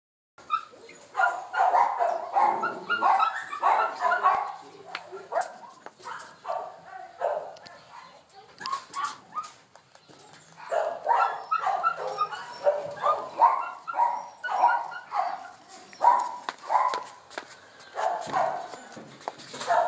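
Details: Pinscher and Jack Russell terrier dogs giving a dense run of short, sharp yips and barks mixed with whiny tones, bunched in bursts through the first half, a brief lull, then resuming steadily to the end.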